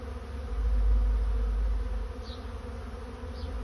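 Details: Honey bee swarm finding a new home: a low, dense droning hum that swells over the first second and then holds steady, with two faint, brief high chirps near the end.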